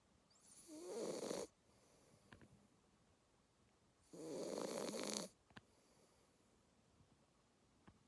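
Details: A two-month-old Labrador Retriever puppy snores in its sleep: two long, rough, wheezy breaths about three seconds apart, each lasting roughly a second, separated by quiet with a few soft ticks.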